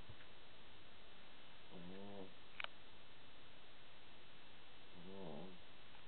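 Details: A pet dog asleep on its back with paws in the air, snoring: two throaty, buzzy snores with stacked harmonics, each lasting about half a second, roughly three seconds apart, with a faint click between them in a quiet room.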